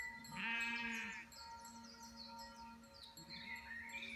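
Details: Domestic ewe caring for her just-born lamb: one high, strained bleat lasting about half a second, with a lower voiced tone beneath it, then quieter murmurs over a steady tonal hum.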